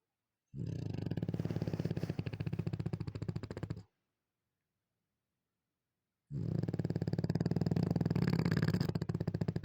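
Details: Bulldog asleep in the morning, snoring in two long bursts of low, rattling, rapidly pulsing rumble separated by a few seconds of silence, indoors.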